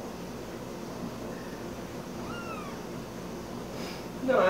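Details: Ollie, a hand-raised kitten found in a park at about two weeks old, playing with a squeaker plush toy twice his size; one short arched meow midway, a sharp burst of noise at the end, steady room hiss throughout.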